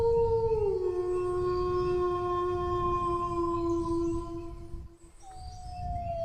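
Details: Dog howl: one long steady tonal howl that starts higher and settles lower, holding for about four seconds before a brief break and a new descending howl, over low rumbling noise.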